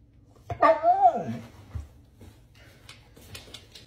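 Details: Siberian Husky Moon, indoors during play with his dad, gives one drawn-out harmonic yowl that rises and then sinks, lasting about a second, followed by soft rustles and faint clicks.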